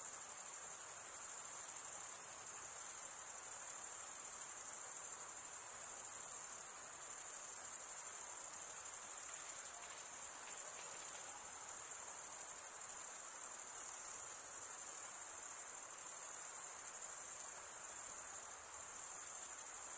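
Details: Chirping crickets, a continuous very high, pulsing trill that never pauses across the whole stretch, with slight dips in loudness at moments and a soft, low background hiss beneath.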